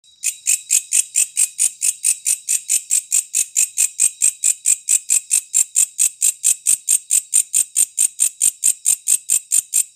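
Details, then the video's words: A walang kecek katydid keeps up a dry, high-pitched rasping chirp, about four pulses a second, steady and unbroken with nothing else heard. "WALANG KECEK 3 VARIASI"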